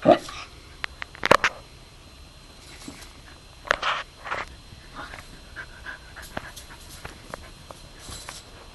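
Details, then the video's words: A three-year-old male Corgi playing with a slinky makes short whimpering and panting bursts, scattered irregularly, while a person speaks and praises the dog in between. "Corgi versus Slinky"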